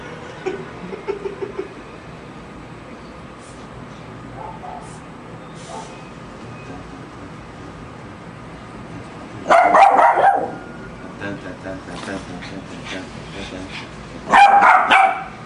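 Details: A Lhasa Apso barking: a few faint, short yips early on, a quiet stretch, then two loud bursts of rapid barks about five seconds apart, with a faint steady hum in the background.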